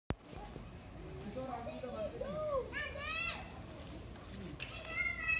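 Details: Feral cat giving a few short arched meows, each rising then falling, with a brighter, higher call near the middle and another toward the end; people talk nearby and children play in the background.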